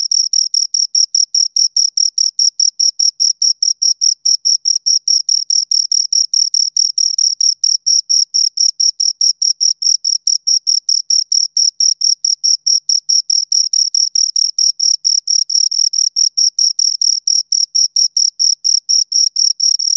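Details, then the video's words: Two crickets chirping: a steady, shrill high-pitched pulsing, short chirps repeated rapidly about two or three times per second without pause, with no other sounds in the background. "Two Crickets Chirp Sounds"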